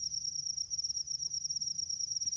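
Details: A field cricket in a rice field calls with a steady, high, ringing trill, its pulses running together without a break.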